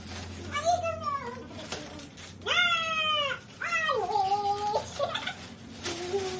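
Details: Miniature Pinscher dogs arguing over food indoors, giving drawn-out, whiny, harmonic yowls that rise and fall in pitch, several in a row, overlapping with a person talking in Indonesian.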